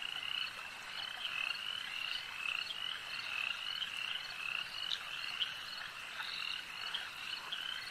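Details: Frogs calling at a lake in a dense, unbroken chorus of overlapping trilling croaks, high and steady, with brighter individual calls standing out every second or so above the constant hum.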